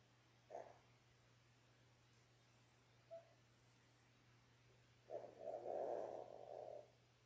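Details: Labrador Retriever puppies, ten days old, from a litter of six born January 18, 2022, indoors on a live puppy cam: a brief whimper, a tiny squeak, then a longer wavering whine of about two seconds over a steady low hum.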